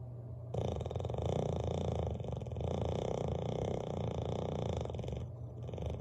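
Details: Bailey, a sleeping Bulldog, snores loudly by the fireplace: a steady, low rumbling drone that holds for several seconds, with brief dips in between.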